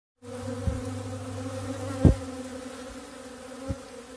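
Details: Bees giving a steady, low droning buzz with layered humming tones, broken by a few short louder pulses near the start, middle and end.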